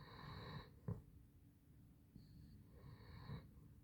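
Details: Basset Hound named Handsome Jack sleeping indoors, snoring in low rumbling breaths with a short snort near the one-second mark and a faint steady hum behind.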